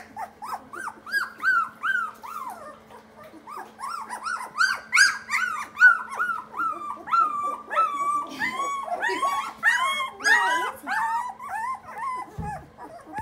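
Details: Several German Shorthaired Pointer puppies just starting to play; a chorus of high, rising-then-falling whines and squeals, repeated rapidly and overlapping, over a constant low electrical hum.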